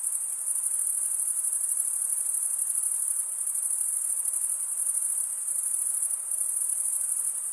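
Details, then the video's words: A continuous, shrill insect chorus from chirping male crickets rubbing their wings together; the thin high trilling holds constant with faint rhythmic pulsing and nothing else audible. "Most relaxing cricket sound"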